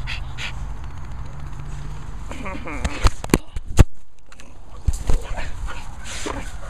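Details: Grumpy dog making brief whiny, grumbling noises in short bursts, with a person talking over it throughout and a few sharp knocks.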